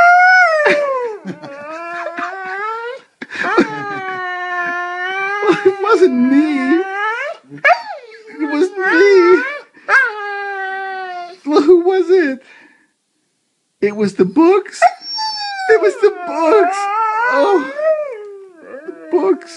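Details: Tiggah, a pet Saluki, howls and yodels as she complains about her day, with long wavering tones that swoop up and down in a talking rhythm and a short pause midway.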